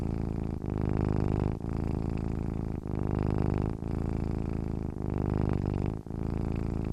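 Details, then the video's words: Domestic cat purring while asleep, a continuous deep buzzing hum that swells and dips in roughly one-second breathing cycles separated by short gaps. "cat sleeping with purring sounds"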